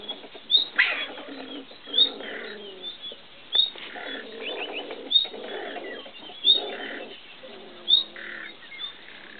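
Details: Beech marten pair heard during copulation beside a river in the Community of Madrid, 15 July 2012. Rich, stacked, purring chatter comes in repeated bursts lasting about a second, with thin high chirps recurring between them.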